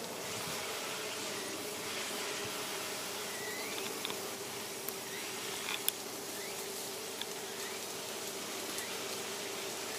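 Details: Western honey bees at a hive in about mid-September, with no hornets around, hum steadily, a continuous low drone of many wings with a faint high hiss.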